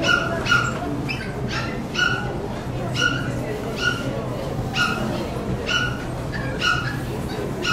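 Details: Sharp, bright yaps about once a second at a poodle club show in Saitama West, June 2008, set against constant low-frequency hum and background chatter.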